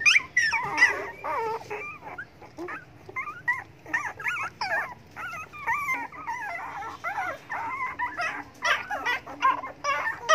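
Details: Begging for food, a group of hungry pet dogs keep up a dense, continuous clamor of high whimpers and yelping whines, about two cries every second, overlapping throughout.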